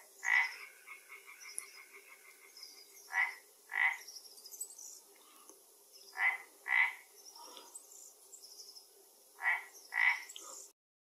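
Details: Pond frog in Galicia, Spain, near an Asian hornet that dropped into the water: a short rattling trill, then paired nasal croaks repeated roughly every three seconds.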